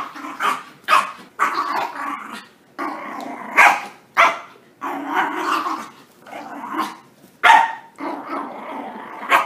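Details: Puppies at play after their bath, giving a rapid series of short, sharp yappy barks and growly yelps, bursts coming every second or so with brief gaps between them.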